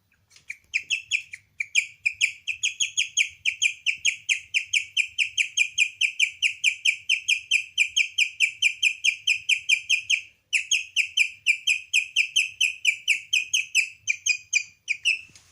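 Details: Leon, a pet guinea pig, making a weird noise: a long run of high, bird-like chirps, each a short rising-falling tone, repeated about twice a second with a brief pause near the tenth second; faint low rumble beneath.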